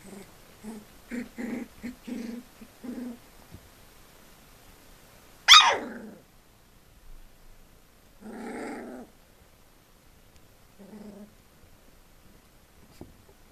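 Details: Four-week-old Collie puppies of a single litter: a quick run of five short, gruff growls, then a sharp clatter. A longer, whining growl follows, and finally one brief grunt amid quiet.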